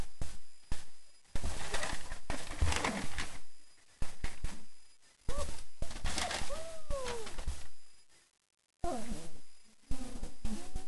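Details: Four-week-old German Shepherd puppies just after a meal of kibble with yogurt, nutritional yeast and raw chicken; high, wavering whines and squeaks among heavy low thumps and handling noise, with a brief silent gap.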